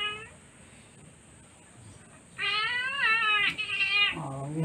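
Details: A female Siamese cat named Sweetie protests having her claws cut: a short meow, then two loud, high, bending meows in quick succession, ending in a lower, murmured sound.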